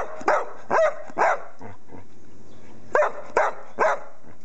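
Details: Female English Springer Spaniel, a pet, giving short hoarse yelping barks in two bursts of three, separated by a quiet pause with faint low rumbles.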